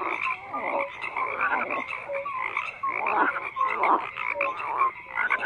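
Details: Several frogs croak together in a dense chorus, overlapping bursts of rough croaks pulsing roughly every half second, with short tonal notes mixed in and no other sounds.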